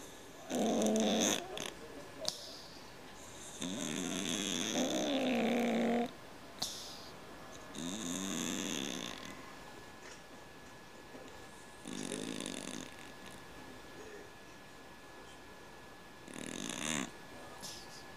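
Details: Sleeping pet cat snoring loudly like a man: a series of long, rattling inhaled snores alternating with softer breathy exhales, repeating at an uneven pace over eighteen seconds, with quiet gaps between breaths.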